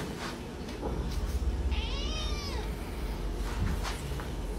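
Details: Angry cat giving one drawn-out, arched meow with rich harmonics, rising then falling over about a second. A steady low hum and background noise run throughout.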